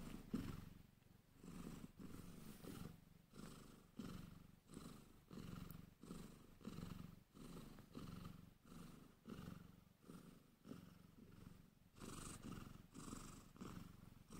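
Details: Sphynx cat purring while a tiny kitten named Angel, a little girl, is helped to nurse indoors; steady low rumbling purr in rhythmic pulses roughly every second, with soft rustling alongside.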